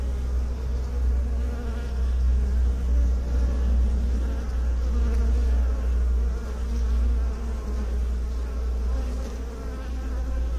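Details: Loud, steady drone of many bees, a rich low humming with overtone bands that rises and falls slightly in volume across the recording.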